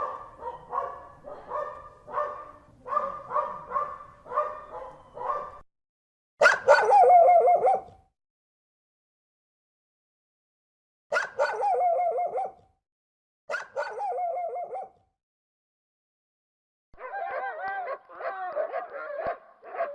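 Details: Dog barking fiercely in rapid series of about four barks a second, broken by longer, louder growling barks with pauses between them, then another quick run of barks.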